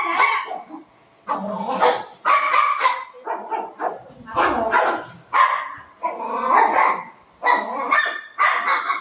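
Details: Buzo, a pet dog, angry at the woman of the house today, letting out a run of loud, harmonic yowling barks in irregular bursts about every two seconds, with a woman speaking Marathi between and over them.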